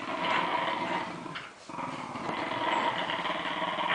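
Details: Lakeland Terriers in New Zealand playing tug of war, growling in a continuous rough, rasping rumble that briefly dips at mid-point before resuming.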